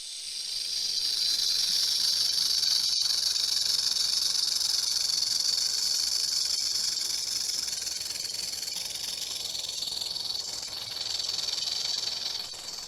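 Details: Rattlesnake rattling: a continuous dry, hissing buzz lasting the full thirteen seconds, steady in tone with slight swells in loudness and one sharp click near the three-second mark.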